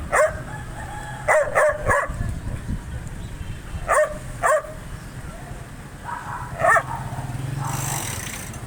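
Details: Angry dog barking loudly: sharp barks singly and in pairs at irregular intervals over a steady low rumble, with a faint hiss near the end.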